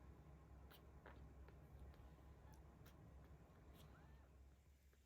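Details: A 17-day-old kitten in volunteer cat care in Tama City, Tokyo, filmed on 10 October 2022, purring louder as it is petted: a steady, low continuous rumble throughout, with faint scattered clicks and rustles.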